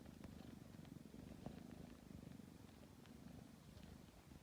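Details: Tabby cat purring while kneading before falling asleep; a steady low rumbling purr with a fine rapid pulse throughout, soft and continuous with no other clear sounds.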